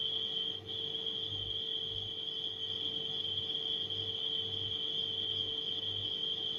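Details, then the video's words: Nighttime crickets form a steady, unbroken high-pitched ringing trill that holds one even tone throughout, laid over the low, pulsing hum of a refrigerator and a faint mid-pitched electrical drone. "Crickets & Refrigerator Humming Sound"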